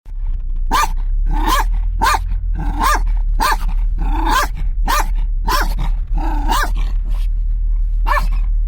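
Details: Kangal cross and a Kangal dog in a tense moment inside a moving car: loud, deep barks repeated about every half second to second, over a steady low engine and road rumble.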